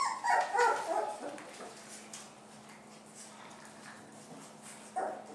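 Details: Dog from the family of Toddy and Bella with their puppies lets out a quick run of high, sharp yipping barks in the first second, then falls quiet over a steady low hum before one more short yip near the end.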